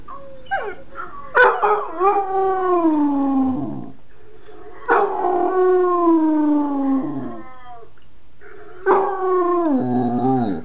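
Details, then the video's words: A 9-month-old Basset Hound gives long, mournful howls that slide slowly downward, each lasting a couple of seconds. "Basset hound howling!"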